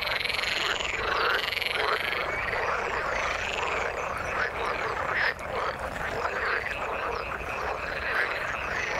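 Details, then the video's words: Croaking frogs in the water, countless calls blending into one continuous chorus, with a short dip in loudness midway and occasional sharp higher notes. "Frog sound in the water"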